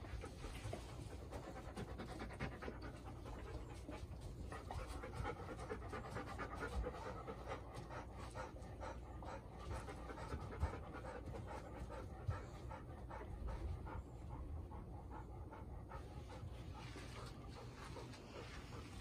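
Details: Steady panting from Golden Retriever Bis, four years old and new to the household since 21 September 2021, recorded the day after first meeting her mother Ibuki and Kohaku; quick rhythmic breaths continue unbroken for the full length, with a few faint knocks.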